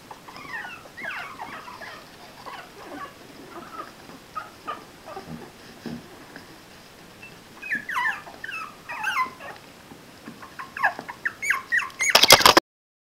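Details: Four-week-old puppies of Sugar in their puppy pan give scattered high whimpers and sharp yips, quiet at first and then more frequent and louder toward the end, which finishes with a brief loud clatter.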